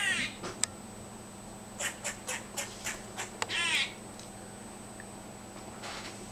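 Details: Squirrel that visits a yard every day, suddenly making strange noises: a run of short harsh raspy bursts, roughly three per second, then a longer wavering squealing note, over a steady faint high hum.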